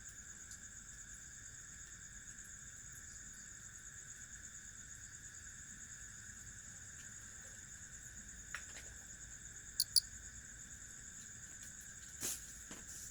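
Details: Continuous shrill cricket chorus, even and unwavering throughout, with a few brief clicks late in the recording.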